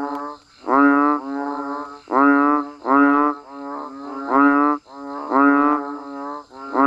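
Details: Banded bullfrogs and frogs calling during rain: loud, nasal, bleating notes about half a second long, each rich in stacked overtones, given roughly once a second. A thin steady high-pitched drone runs behind them.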